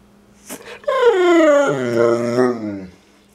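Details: Pet dog Rufus, indoors, trying to say "I love you" to his owner: a long moaning, talk-like howl that slides down in pitch, then wavers and fades, with a voice coaxing him to talk and offering turkey.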